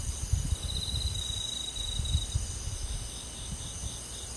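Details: Summer-night forest insect chorus with crickets, a thin, rapid trill at one steady pitch early on, backed by continuous high insect drone and soft low thumping rumbles.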